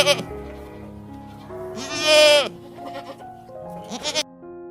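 A goat gives one loud, wavering, nasal bleat that trails downward, with a shorter bleat near the end, over steady background music.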